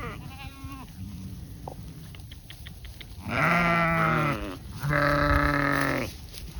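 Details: Goats and sheep at pasture in autumn: two loud, drawn-out, quavering bleats of about a second each near the end, preceded by softer calls and clicks, over steady outdoor background noise.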